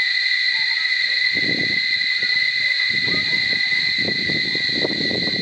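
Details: Cicadas in Barichara drone in a steady, high, shrill buzz that holds unbroken from start to finish.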